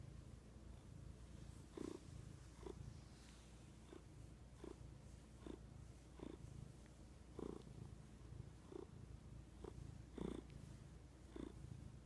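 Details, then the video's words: Marten, a pet cat, purring steadily in a long low rumble with soft pulses recurring roughly every second; no other sounds stand out. "Marten Purring"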